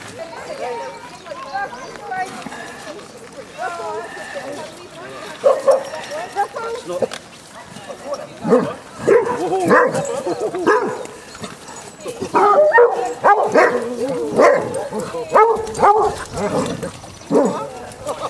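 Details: Basset Hounds, a pack of fifteen walking four miles to the sea at Otterton, South Devon, bark in irregular bursts, some short and some drawn out. A walker calls the dogs by name, and a river is nearby.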